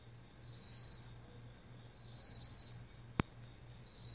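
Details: In a Korean vegetable garden in autumn, a katydid sings a high, steady, metallic buzzing trill, like a whistle with a metal ball inside, pulsing in short bursts over a low hum. Finding: katydid.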